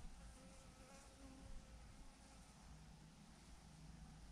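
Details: Thousands of honey bees hang in a massive swarm clumped on a branch, giving off a faint, steady low hum with a soft wavering drone and no breaks.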